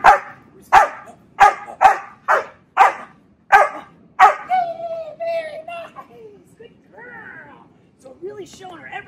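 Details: During training to bark on command, a dog gives a quick series of sharp, loud barks after the trainer teases her, followed by a man talking.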